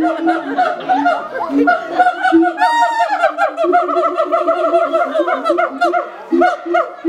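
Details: Siamangs at Auckland Zoo, New Zealand, call together in loud, overlapping barks and hooting notes that tumble over one another.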